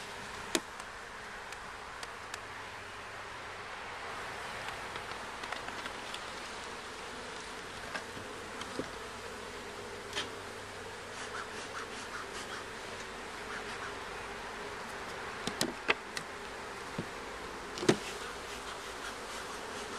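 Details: Honey bees at a hive during its first check, with comb found: a steady, dense buzzing hum throughout, a strong band of sound around the middle pitch, and scattered sharp clicks and taps over the drone.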